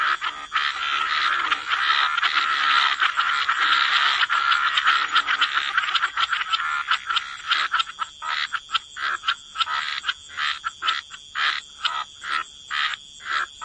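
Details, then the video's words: Wetland frog chorus at the waterside: a thick, steady blur of croaking for the first half gives way to separate rasping croaks, roughly two per second, with short silences between them. "Relax to the Sound of Croaking Frogs"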